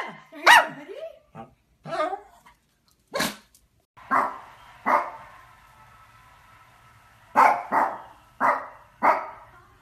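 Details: Barking Pekingese giving a loose series of short, sharp barks, some doubled. A faint steady hum runs under the later barks.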